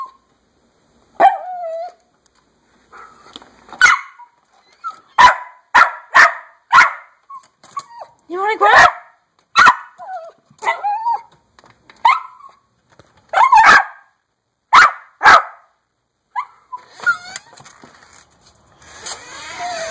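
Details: Indoor dog pleading to be let outside, letting out a long series of loud, clipped yaps in irregular bursts, broken by squeaky whimpers and whines, with a rougher whining cry near the end.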